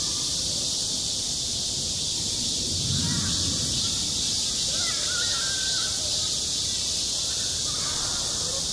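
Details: Summer cicada chorus over a school playground: a continuous hissing, high buzz without pause, with faint wavering voices or calls in the middle range and a brief low rumble near the third second.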